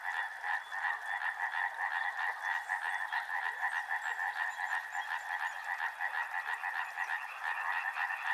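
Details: Frogs call together near a river, a thick overlapping chorus of rasping, rapidly pulsed croaks that hold a steady level with no pauses, their pitch sitting in a mid range.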